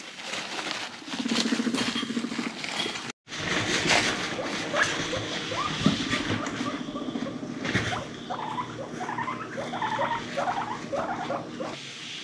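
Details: Pet guinea pigs Zucchin and Spaghett feeling frisky, chasing and rumblestrutting; a deep buzzing rumble early on, then a run of short, rising squeaky chirps repeated in quick succession, with scuffling and rustling throughout.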